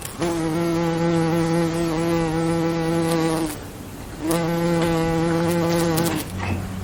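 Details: A bee buzzing in two loud, steady bursts of about three and two seconds, a low droning hum with a rich layered tone, split by a brief quieter pause.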